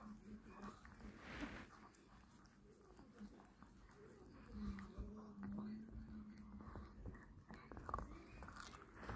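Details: Pet dog Toto growling to guard a beef rib: a low, steady rumbling growl held for about two seconds mid-clip, surrounded by chewing and biting noises and a person talking.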